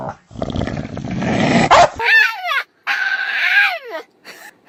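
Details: A male dog gives a strange, sing-song whining howl that rises and falls in drawn-out, wavering arcs, answering each time his owner speaks to him.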